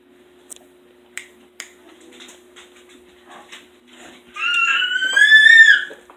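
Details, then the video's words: Pet dog left alone in the house after the other two dogs leave, giving a drawn-out high whine with a wavering, slightly rising pitch near the end, preceded by soft clicks and taps over a steady hum. "Dog makes Hilarious noises!"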